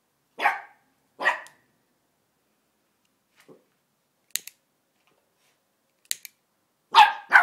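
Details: A West Highland White Terrier puppy, three months old, goes wild at a lighter turning on: two sharp barks close together, clicking between, then a final double bark in quick succession.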